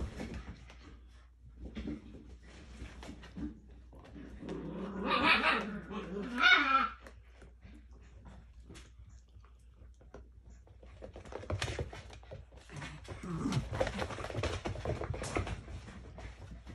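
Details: An adult male Miniature Schnauzer playing keep-away with his ten-week-old pups gives a loud burst of rough growling and yapping barks, with people talking and laughing nearby; recorded 8 May 2022.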